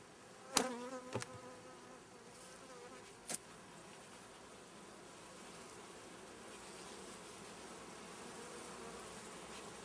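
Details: Honey bee swarm under inspection, with powdered sugar dusted on as extra protection against varroa mites; a low, steady, humming drone of many bees runs throughout, broken early on by a few sharp clicks and knocks from handling.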